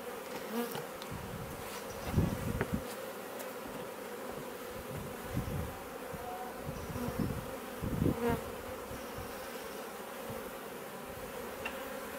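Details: In a Leicestershire, England garden in June 2020, a swarm of Western honey bees that has moved into a bait hive comes and goes, buzzing in a steady, droning hum with soft thumps and knocks underneath.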